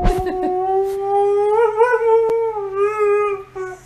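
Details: A pet dog indoors gives a long, sustained tonal howl, steady and slightly wavering in pitch, rising a little near the middle and fading at the end; faint music underneath and a brief voice at the start.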